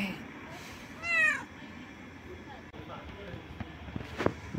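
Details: A cat sitting on a couch outside a home gives a single short meow with a harmonic, slightly rising then falling tone; a person speaks nearby and a faint click follows later.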